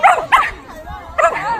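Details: A Shetland Sheepdog in South Korea gives three short, sharp yipping barks, with a soft whine between them, while a woman talks to it in Korean.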